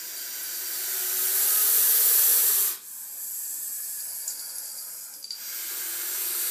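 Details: Gopher snake, about four to five feet long, found in a horse barn and held behind glass, hissing at a cat toy: a loud broadband breathy hiss for nearly three seconds, then quieter airy exhalations with faint clicks.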